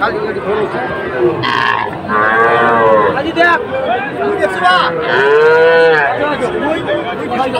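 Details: Sahiwal bull calves at Aftabganj market on 18 October; two long, loud moos with rich harmonics, each rising then falling over about two seconds, with a brief burst of crowd noise and chatter behind.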